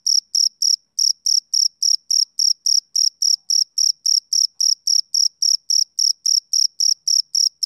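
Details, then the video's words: ['Male cricket chirping in a steady, high-pitched pulse, about 27 short shrill chirps in under eight seconds, evenly spaced with a faint higher overtone; no other sounds.'] "Cricket Chirping Sound Effect"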